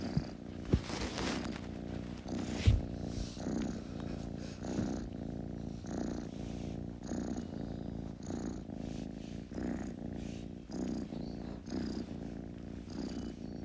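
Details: Close kitten purr, a rich low rumble in regular breath-paced swells about once a second, with a couple of sharp bumps and brief rustling early on.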